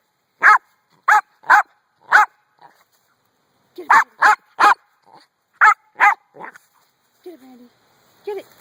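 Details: Dog barking at a rock, egged on by its owner: loud, sharp barks in bursts of three to four, ten or so in total, followed by softer whines and a brief human voice near the end.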